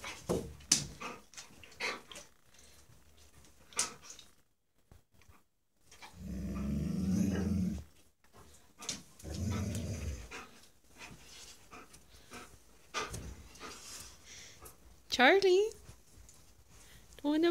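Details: Dogs reacting to a husky face pillow, indoors: bursts of low rumbling growls in the middle, separated by quiet gaps, then a rising high-pitched whine near the end, with scattered clicks and knocks throughout.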